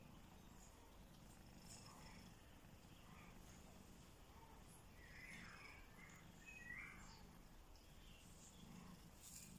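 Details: Mother cat nursing her newborn kitten: a low, steady rumbling purr runs through the whole stretch with a gentle pulsing rhythm, while faint brief higher squeaks and soft rustling sit quietly above it.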